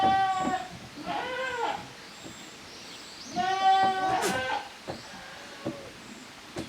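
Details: Young goats from the kids of Koharu and Okayu, playing in two teams on the exercise yard at Yoshigake handmade goat farm, 13 June 2023: three wavering, nasal bleats, each under a second, with faint clicks and bumps between them.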